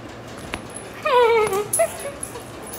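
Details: Golden Retriever giving one drawn-out whimper that slides downward, followed by a short higher whine, over steady background hiss.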